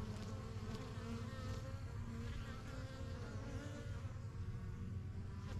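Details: Honey bees at their new backyard hive, the yellow box and the strongest of the first few hives started in spring 2023, flying in and out. Thick, even buzzing drone, constant from start to finish.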